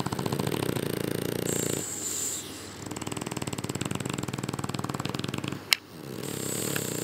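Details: Two French Bulldogs, Louie and Sophie, asleep during spring break, thought to have sleep apnea; hoarse breathy snores alternate with fluttering rattles, broken by a single sharp click.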